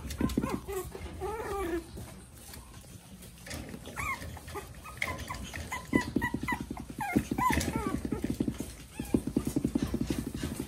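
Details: Male Pomeranian: short, rising and falling whiny yips come in bursts between stretches of fast, rhythmic puffing or panting pulses, with some faint indoor handling noise.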